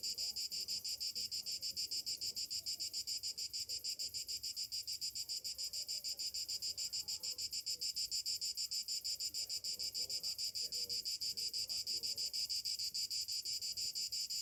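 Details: Cicadas singing on a summer morning: continuous high-pitched buzzing chorus with rapid regular pulsing throughout, soft murmur underneath.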